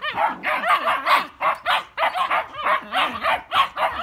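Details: Squabbling German Shepherd puppies fill the moment with a continuous stream of shrill yips and barks, roughly two calls per second, some sliding and whiny in tone.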